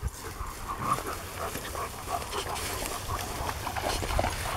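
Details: A 6-7 year old female German Shepherd relaxing among other dogs at a rescue ranch in Pleasant Grove, California, on July 19, 2018; soft, breathy panting in quick rhythmic puffs over a steady background hiss.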